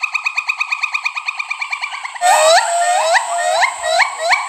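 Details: Pileated gibbons calling: a fast bubbling run of short repeated notes, about three per second, then louder swooping whoops that rise sharply in pitch, each upsweep repeated at roughly half-second intervals.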